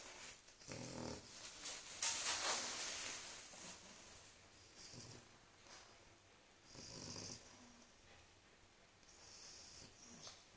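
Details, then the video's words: Sleeping French Bulldog snoring: quiet, raspy, breathy snorts recurring about every two seconds, some longer and hissier than others. "the French Bulldog snoring"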